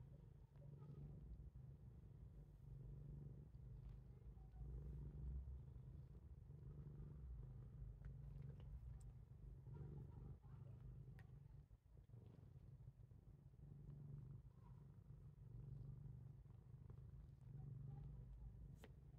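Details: Pet cat Titchimo purring during a biting episode with its owner, a long-standing habit. A low, rhythmically pulsing rumble continues for the whole stretch, with occasional light clicks.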